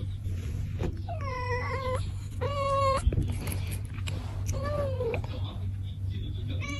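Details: Pet cat meowing several times, with wavering, slightly bending cries spaced a second or two apart, a sharp knock midway, and faint voices and a low background drone.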